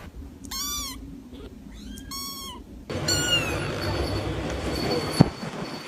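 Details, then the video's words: Small cats giving two clear, arched meows. Loud broadband rumbling noise then takes over, with a sharp knock near the end. "small cats making sound"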